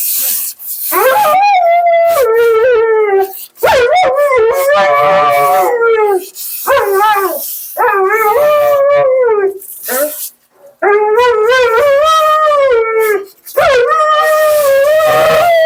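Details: Mila, a dramatic, talkative Siberian Husky, vocalizes during her second-ever groom, with bath and blowout: long wavering howl-like moans, rising and falling, in bursts of one to three seconds separated by short pauses, with occasional brief spraying noise.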